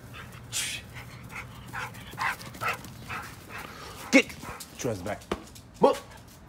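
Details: Energetic brindle pit bull playing with no toys: soft huffs early on, then a few loud, abrupt barks and yelps toward the end, over a person talking in the background.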